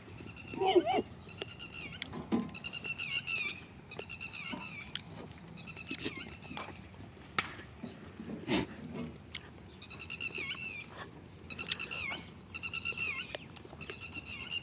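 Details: Goats kept for Qurbani at a goat farm in Kishangarh bleat repeatedly, several wavering calls overlapping every second or so, over a busy background of knocks and farm noise.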